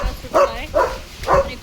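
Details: As strong storm winds blow, hail falls and heavy rain begins, a German Shepherd barking at the wind gives three short, mid-pitched barks in quick succession over a low wind rumble.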